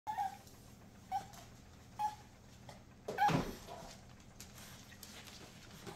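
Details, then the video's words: Indoor dog whining because it wants to go outside: four short, thin, high whimpers about a second apart. The last comes with a louder thump or rustle. A low steady room hum runs underneath. "Inpatient dog whining to go outside"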